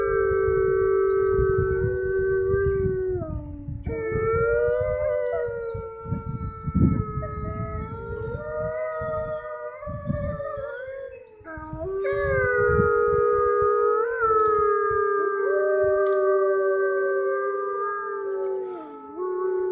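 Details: Wolves at a zoo's Canadian exhibit, recorded near closing time, howl in long, sustained, overlapping tones that waver and slide between pitches.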